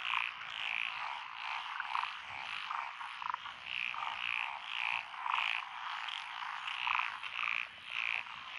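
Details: Dense frog chorus over lotus paddy fields on a countryside road in Echizen, Fukui, Japan, June 2021; overlapping croaks pulse in irregular bursts, several callers trading short bright notes above a constant rattling background.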